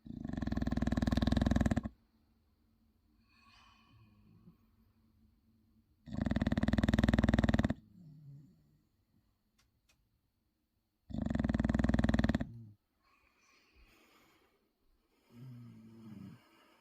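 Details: A sleeping 6-year-old male English Bulldog snores loudly like a jackhammer, with long rasping, rattling breaths roughly every five seconds.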